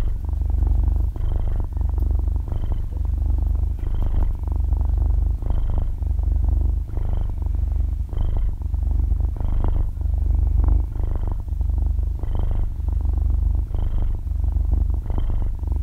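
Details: Sleeping six-month-old kitten, close-miked in stereo, purring continuously: a soft, loud motor-like rumble swelling and fading with each breath roughly every second and a half, brief faint whistles on some breaths, no other sounds.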